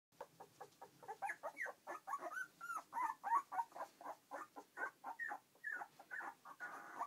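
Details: Border Collie x Basenji puppies, born 21 February 2012, walking for the first time, give rapid high squeaky whimpers and yips, several overlapping, in short bursts of about four per second.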